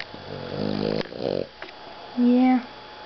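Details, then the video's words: Boston Terrier Rocket napping indoors after playing in the hot sun, giving rough, buzzy snores in two drawn-out breaths, followed by a short steady tone. "Boston Terrier Snoring~Funny!!"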